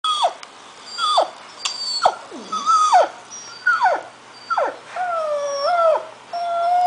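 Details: Angus, a Scottish Terrier puppy under a year old, worked up while watching videos: a series of high whining yelps that slide downward, about one a second, ending in longer wavering howl-like whines.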